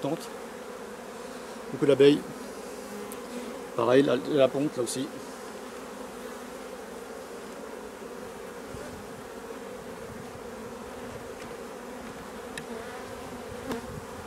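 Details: Honey bee colony hum, recorded while drone-laying colonies are replaced; an even, low buzzing drone fills the whole clip, with two short spoken interjections early on and quiet clicks later.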